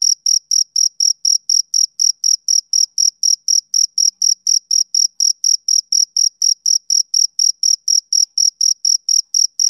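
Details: Male cricket giving its summer-evening chirp: a continuous series of sharp, piercing pulses, roughly four each second, metronome-like and alone against silence.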